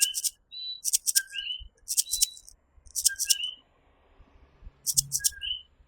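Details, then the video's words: Coquí, tiny tree frogs native to Puerto Rico, in a night chorus: several two-note calls, a low short note then a higher rising one, overlap with loud bursts of buzzy high insect chirping and a faint low rumble. "Coquí Serenade | Authentic Puerto Rico Night Sounds"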